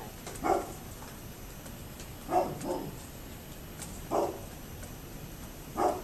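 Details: Muffled barking from a neighbour's dog on October 27, 2011: single barks and one quick double bark at irregular gaps of about two seconds, over a steady hiss.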